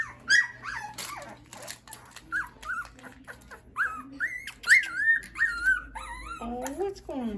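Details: Litter of Schapendoes puppies whining and squealing together in quick, overlapping, quavering cries, some rising then falling, with short yelps and a faint low hum throughout.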